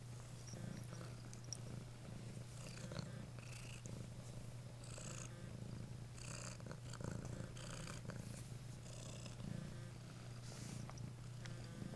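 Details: House cat purring steadily and deeply for the whole stretch, the rumble unbroken, with soft rustling noises above it.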